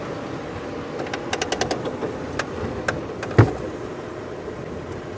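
A low vehicle rumble with a few sharp clicks and knocks and one louder thump; no animal calls.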